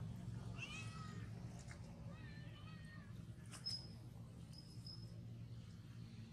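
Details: Frightened baby monkey telling its mother of an enemy in front and running to her: two bursts of thin, wavering, harmonic cries around the first and third seconds, then brief high squeaks, over a steady low hum.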